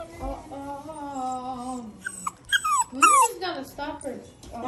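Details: Crated Cane Corso puppy protesting kennel training: a long, steady, slightly falling whine, then a burst of sharp yelping cries that sweep downward, followed by softer whimpers.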